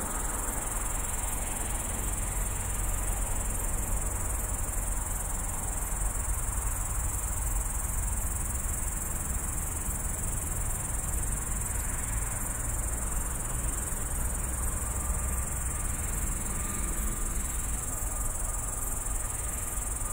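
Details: Nighttime grasshopper in a bush next to a road, Tallinn city edge, recorded by phone from the walkway: a sustained thin, sizzling high buzz running unchanged for twenty seconds above a dull, low urban rumble.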